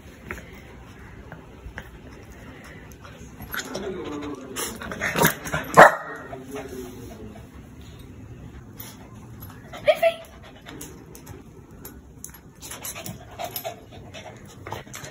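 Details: A one-year-old female Shih Tzu, born February 2020, lets out short, sharp, fairly high-pitched barks. They come in a cluster early on, then singly with long quiet gaps between, showing she is no quiet lap dog.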